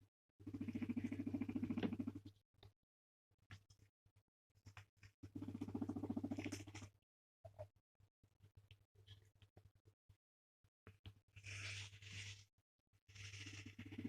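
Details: A male guinea pig that loves being stroked and petted gives low, vibrating purring rumbles in bursts of one to two seconds while being petted, a sign of contentment.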